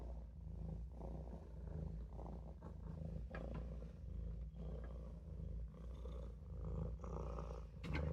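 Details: Olof, a Maine Coon kitten, purring while he naps in the sink; a low, even rumble swelling and easing with each breath, with a brief sharper rustle at the close.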